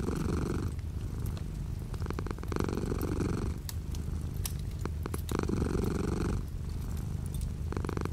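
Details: A domestic cat purring with light rain outside a window; a steady low rumble in long breaths, about one every three seconds, with brighter bursts on each breath and faint clicks of rain throughout.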